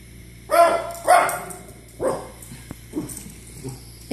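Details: Pet dog Izzy barking indoors at dogs on a TV screen: four or five sharp, broadband barks, the first two loud and close together, then softer ones spaced about a second apart, with a low steady hum underneath.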